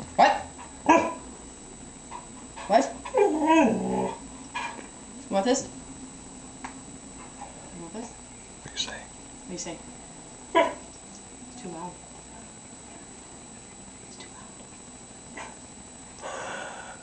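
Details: Siberian Husky indoors, told to speak for a treat, answers with soft wavering whine-like sweeps and a few short muffled barks, mixed in among people's voices urging it on.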